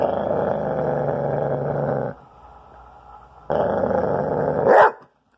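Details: A spayed female Basset Hound, just turned twelve months, guards her bone. A sustained, harsh, low growl lasts about two seconds and pauses. A second growl rises into a sudden sharp bark at its end.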